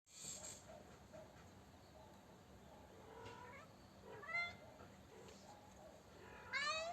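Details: Cute kittens indoors: faint, thin high mews, one brief call near the middle and a rising, thin cry at the end, over a quiet hissing background.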